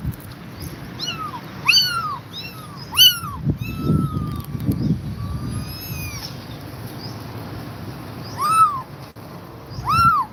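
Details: Mother cat, worn out yet guarding her kittens; repeated high, arching meows, one long level-toned cry in the middle, over low rustling and handling noise.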